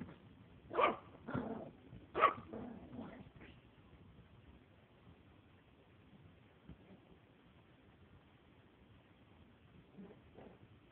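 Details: Female Maltese puppy aged four months, barking while playing indoors: a quick burst of three or four yappy barks in the first few seconds, then near silence with faint rustles.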